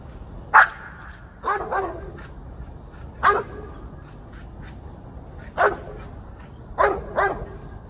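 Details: Dog named Legend chasing squirrels, giving sharp barks, single and in quick pairs, spaced every one to two seconds across the stretch, against a quiet outdoor background.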